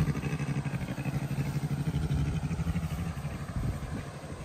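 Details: Adult Syrian brown bear Jenny, content and comfortable while being brushed, purrs as she suckles a keeper's hand; a low, fast pulsing rumble that throbs evenly and fades slightly toward the end.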